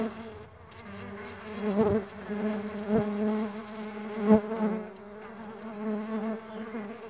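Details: Flying Mandaçaia stingless bees give a steady low wingbeat hum that rises and falls, broken by three sharp taps or knocks around two, three and four seconds.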